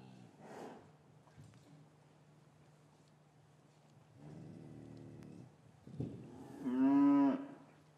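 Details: Winter afternoon in an English cattle yard, cows lowing while separated from their calves: soft muffled noises and a quieter drawn-out low, ending with one loud harmonic moo near the close.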